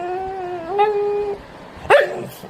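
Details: A pet Labrador Retriever, being talked to by its owner, gives a sustained, clear whine that holds steady, then steps up in pitch and holds again, followed after a pause by a short, sharp yip.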